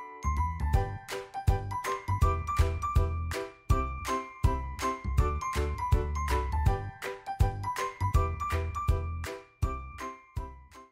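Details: A bright, regularly repeating chime and jingle melody, like children's music, plays throughout with no animal sound.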